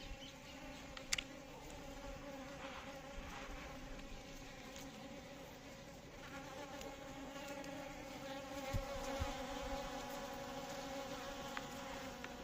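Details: Asian honey bee buzzing as an even, sustained drone with clear harmonic bands, slightly louder toward the end, with occasional soft taps.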